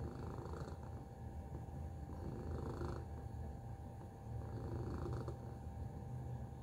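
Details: Tacy, a pet cat, gives a strong, deep purr, a buzzing low rumble with gentle rhythmic swells, steady throughout, a faint thin tone lingering behind it.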